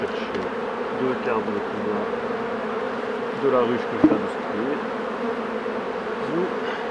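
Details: Honey bee colony during hive work by a beekeeper, a continuous low, even buzzing hum throughout, with faint bits of human voice and a brief click midway.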